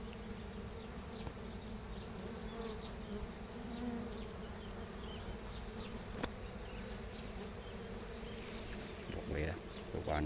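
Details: Bees outdoors in nature, a steady low droning hum running throughout, with scattered faint ticks and light rustling.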